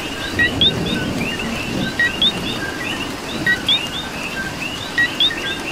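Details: Coqui frogs in Puerto Rico calling during rain: a near frog gives sharp two-note chirps, a lower note then a higher rising whistle, roughly every second and a half, over a dense chorus of more distant coquis and steady rain hiss.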